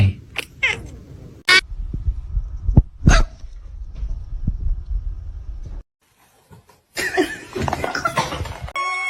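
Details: Pet cat giving a short, sliding, strained wail, followed by sharp knocks and bumps, a stretch of near silence, then a burst of rough noisy scuffling with a brief tonal cry at the close.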